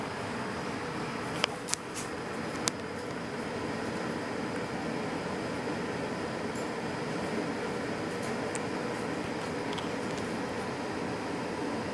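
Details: Broadband fan-like hiss fills the room, with a few brief clicks; no animal voice is audible.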